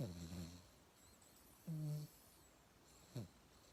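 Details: Yangyang, a mixed-breed pet dog, snores while asleep indoors in an upgraded sleeping posture: three low, throaty, harmonic snore bursts, a long one first, then a mid-length one, then a brief snort near the end, with quiet between.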